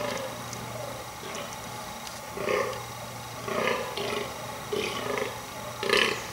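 A fallow buck gives deep, belching rut groans about once a second to impress females.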